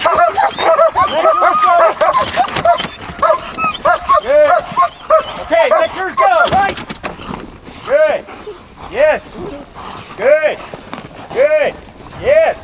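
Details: Trained German Shepherd dogs: crowded yipping mixed with a person's praise at first, then clear, separate rising-falling yelps repeated roughly every second toward the end.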